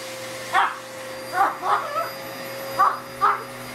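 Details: Pug puppy Otis, indoors at home, barking at a new vacuum cleaner with a wand attachment while his owner vacuums, seeing it for the first time; five short, mid-pitched yappy barks in two bunches over a steady motor hum.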